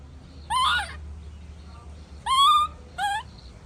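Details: Baby monkey's tantrum as its mother leaves: three loud, drawn-out, harmonic cries, each a wavering wail lasting about half a second, separated by short pauses against faint low background hum.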